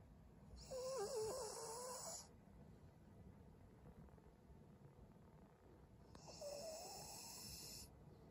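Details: Senior Pug Maria, a fawn female aged 12, recorded in Japan on February 18, 2023, gives two raspy breaths about five seconds apart, each carrying a warbling whistled tone that rises and falls, with soft background hum between.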